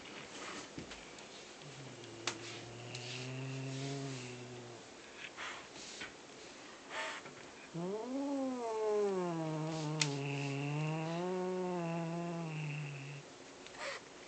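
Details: Pet cat growling possessively over a captured fluffy ball toy: two long low harmonic growls, the second rising then wavering steadily for about five seconds, with a few soft clicks and rustles between.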